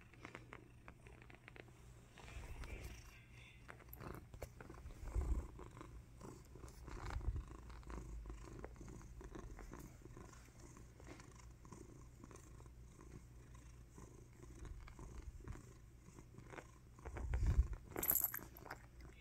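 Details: Ralphie, a male pet cat praised as a good kitty, purrs in a low, soft, steady rumble that runs throughout, swelling into a few louder bursts near the end, with faint rustling in the background.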